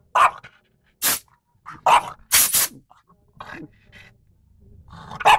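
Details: Lara, a French Bulldog, barking wildly at a compressor: three sharp barks spaced apart, broken by loud hissing bursts of air and quieter low sounds between them.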